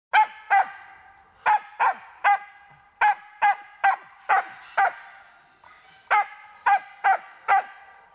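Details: Karelo-Finnish Laika barking during hunting training on a marten: loud, sharp barks given singly and in quick pairs, about fifteen in eight seconds, with short irregular pauses between bursts.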